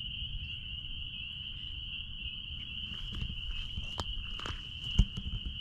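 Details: Spring peepers calling out back at a blueberry farm: a dense, unbroken high-pitched ringing chorus holds steady throughout, over low rumbling background noise with a few soft knocks and taps near the end.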